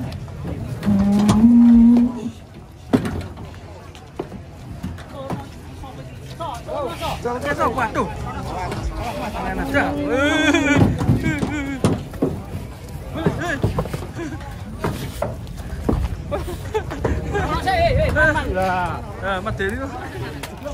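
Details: Cattle unloading from a truck: a short rising moo opens, and a second drawn-out low moo follows midway, amid steady chatter, music and vehicle rumble.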